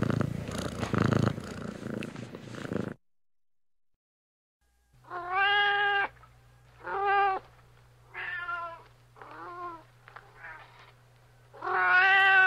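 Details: Domestic cat giving a series of short, harmonic meows, five or six calls spaced about a second apart after a brief purring stretch and a silent pause, with a faint steady low hum underneath.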